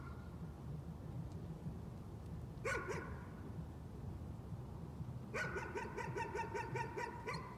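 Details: One or two sharp barks, then a rapid two-second string of high yaps: a dog's nuisance barking over a continuous low rumbling background.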